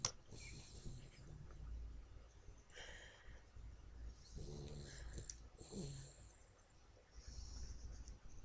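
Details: Toby, a pet dog, snoring while asleep indoors: low rumbling breaths with a brief buzzy, harmonic snore in the middle and softer wheezy airflow between, in a quiet small room.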